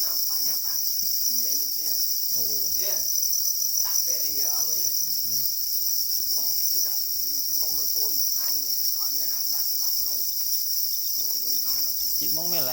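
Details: Black or para crickets crying angrily for their eggs: an even, sustained high shrill buzz fills the background from start to finish, overlaid by frequent human speech.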